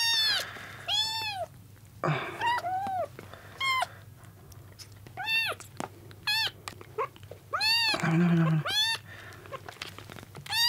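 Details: Rescued kittens, on their second day after being found soaked on a road, competing for milk: many loud, arched, high-pitched mews in quick bursts, overlapping and repeated, with brief low sounds between.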